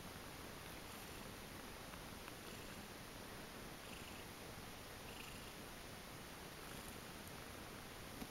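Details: Several kittens purring softly after a feed as they settle into a 'kitten pile' to sleep; a steady, low, fine-grained rumble runs throughout with faint light rustling over a quiet background.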